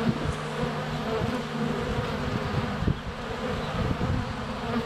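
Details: Close-up hum of honey bees crowding the hive entrance on a sunny February day, GoPro Hero 7 Black placed within a foot; a steady, throbbing low drone with a few sharp clicks where bees land on the camera.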